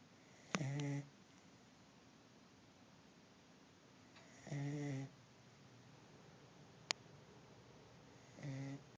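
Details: An exhausted corgi snores after a weekend of hiking and sun, each low, buzzy rumble lasting about half a second and coming roughly every four seconds in a quiet room, with one brief click between breaths.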